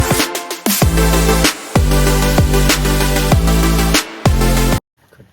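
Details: Loud electronic drum-and-bass music with heavy beats runs until it cuts off abruptly near the end, with no animal sound.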